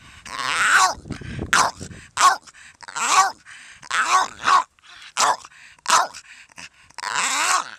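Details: Donut, a 13-year-old Staffordshire Bull Terrier cross jokingly called half dog, half pig, vicious yet toothless: a series of short, harmonic, grumbling vocal bursts, each under a second, separated by brief pauses, with a narrator's voice nearby.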